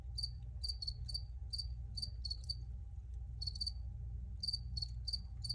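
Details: Crickets recorded outdoors, giving short high, shrill chirps of two or three quick pulses in irregular bursts with brief silent gaps, over a steady low rumble of background hum.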